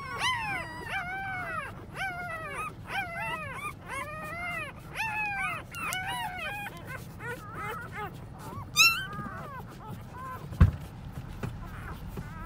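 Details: English Labrador Retriever puppies, newborn litter born January 6, 2020, giving high arched whimpers and squeals in quick overlapping bursts, busiest in the first seven seconds, then sparser cries with a sharp knock near the end.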